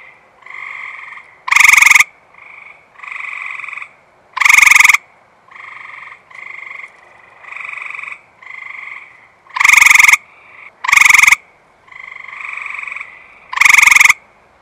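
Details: Close-up Eastern Gray Treefrog, calling on a warm, humid night just after rain despite an observer right next to it; five loud rattling trills at irregular intervals over a chorus of fainter overlapping treefrog trills.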